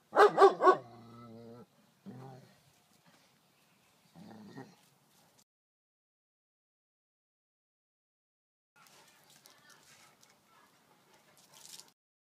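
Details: German Shepherd barking in its yard at an intruding raccoon in broad daylight: a rapid burst of three loud barks at the start, then softer, lower sounds and later faint scuffling noise.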